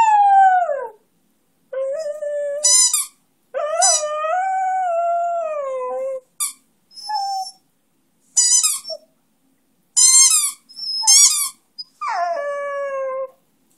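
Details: Long drawn-out howling from Flash, a one-year-old Schneagle (Beagle-Schnauzer cross), singing along to his favourite toy; several sliding, sagging howls broken by sharp high toy squeaks and short yelps.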